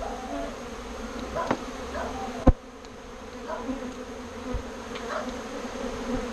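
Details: Displaced bees, moved from a birdhouse into a bee box, mill about the old birdhouse post. A steady, even drone is broken by one sharp knock midway.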